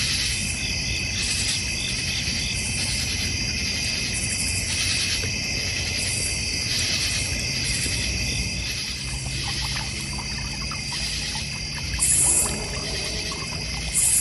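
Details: Crickets chirping at night in a backyard in the North Georgia Mountains, a steady high insect chorus with pulsed bands, alongside a koi and goldfish pond, a bird feeder and a fire pit; low rumbling background and a louder burst near the end.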